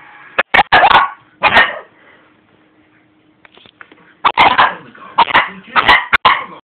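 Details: Shih Tzu puppy barking while trying to intimidate a person: a quick cluster of sharp, high yappy barks, a pause of about two seconds, then another burst of several rapid barks.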